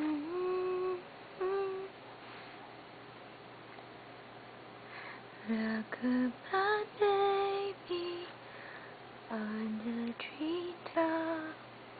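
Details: A woman hums and sings soft, wavering melodic phrases in a small indoor room, with pauses of near-quiet between the lines and no animal voice.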